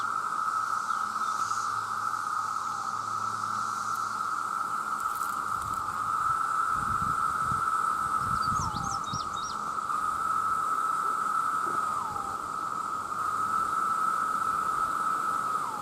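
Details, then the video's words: Massed male cicadas calling to attract mates: a loud, sustained, even-pitched drone whose bursts end in a quick downward slide, with brief low rumbles and a few faint high chirps. "The Sound of The Cicada"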